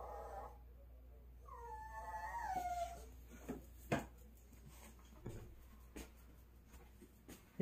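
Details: Pet dog early in the morning, begging to be given meat quickly, whining in a high, whistle-like voice: falling piped whines with harmonics, several sliding tones over about two seconds, then quiet with scattered clicks and knocks indoors.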